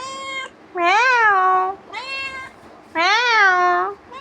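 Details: House cat pestering its owner indoors after returning from wandering, giving loud, long meows that rise then sag, each about a second, with quieter mews in between, while a woman imitates it with repeated meows.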